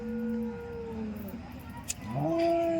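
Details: Dairy cows at the Loni cow market lowing in drawn-out, tonal moos: a steady low note, a second slightly falling one, then a higher rising call held to the end, with a sharp click midway and faint background noise.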